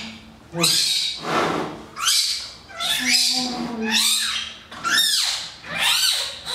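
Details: Newborn twin giant panda cubs at Zoo Aquarium de Madrid give loud, harsh, squealing cries in repeated bursts roughly every second, some sweeping down in pitch, with a low steady hum beneath.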